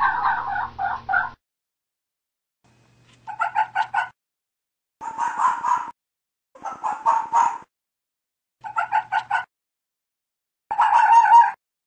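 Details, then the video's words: Fox calling in the mating season, when foxes call out to each other: six short bursts of hoarse, barking yelps, each burst holding three or four quick notes, separated by pauses of about one to two seconds; otherwise quiet. "Fox calls and Barking | Fox Sounds | Fox Mating sounds"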